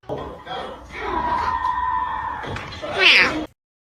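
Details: Domestic cat giving a long, drawn-out yowling meow that holds one steady pitch for over a second, then breaks into a brief higher squeal before cutting off, with talking and applause alongside.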